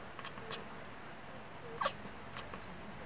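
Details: Female house cat at a window chattering and chirping after spotting a wood pigeon on a neighbouring roof; a few short, sharp chirps spaced irregularly, with one louder upward chirp near the middle, in a quiet room.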